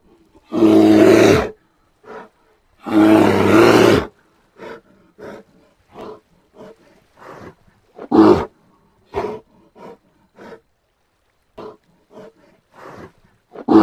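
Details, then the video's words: Brown bear vocalising: two drawn-out, harsh, rumbling roars in quick succession, followed by a long run of short, irregular huffs and grunts. "Som do urso pardo"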